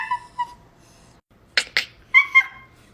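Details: A dog performing tricks on command gives short, high, tonal whines and yips, with a person's brief spoken commands (paw, high five, roll over) between them.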